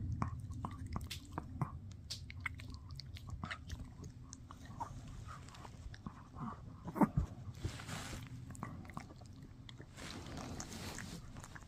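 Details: Steady gnawing by Shih Tzu puppy Mikki on a no-hide bully stick: rapid clicking bites and gritty crunches, a sharp snap around the middle, and low room hum underneath.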